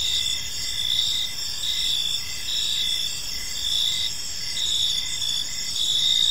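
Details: Crickets chirping on an evening in a peaceful park: a dense, steady chorus of high trills with pulsed chirps repeating about once a second, layered over a low background hum.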